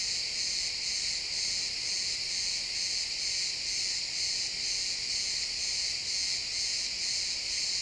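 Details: Sunset in a pine forest with crickets chirping, recorded in XY stereo: shrill, ringing chorus beating rhythmically a little over twice a second, constant in loudness, nothing else prominent.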